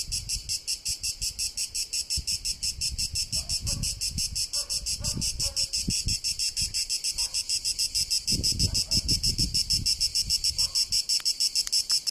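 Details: Italian cicada in Tuscany: a strident, fast-pulsing high buzz running throughout, with faint tonal chirps and low rumbling sounds in the background.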